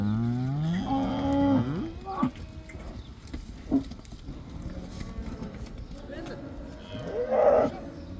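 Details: Black cattle let back into pasture in the Netherlands for the koeiendans: a rich, rising-and-falling moo at the start, scattered short grunts, and another brief strained bellow near the end.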